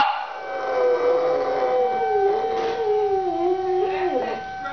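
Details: Scruffy, a pet dog, howling at a monthly tornado siren drill: a long wavering howl that slowly slides downward, with a steady siren tone holding beneath it throughout.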